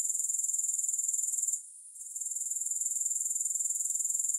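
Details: A sleep-aid recording of grasshoppers, music-free: a thin, high-pitched pulsed trill about four pulses a second, broken by a short quiet gap just past one and a half seconds before resuming.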